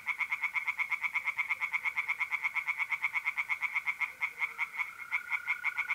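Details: Mid-April night by a pond in north-eastern Italy: tree frogs call in an unbroken run of rapid, even pulses, close to three per second. A continuous mole cricket trill sounds beneath them.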